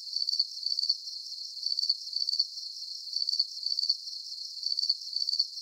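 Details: Crickets chirping in a calm sleep soundscape: high, thin, pulsed chirps at a steady pitch, clustered in bursts that recur roughly every one and a half seconds, continuous and even, with no other clear sounds.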